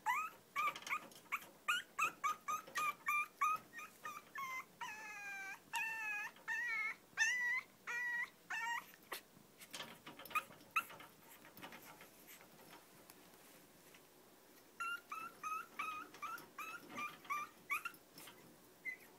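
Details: Whimpering from a long-coat chihuahua of the pair Choco and Maron at home: rapid runs of short, squeaky whines and yips, then longer quavering whines midway, over a steady hiss of background noise.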